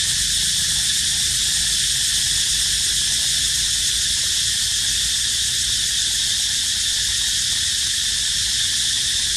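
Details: Steady cicada crying: a dense, high, hissing buzz that runs on without a break or change in pitch, loud and even from start to end.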